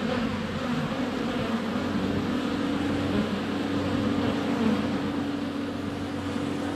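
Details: Many honey bees in flight at a hive entrance during sunny February weather, recorded on a GoPro; even, sustained low buzzing hum with a steady drone tone running through.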